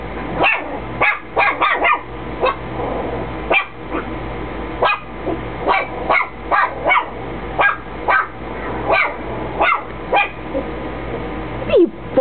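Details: Chihuahua barking at nothing indoors; a long run of sharp, high yapping barks, roughly twenty over twelve seconds at irregular spacing, some doubled, over a low steady hum.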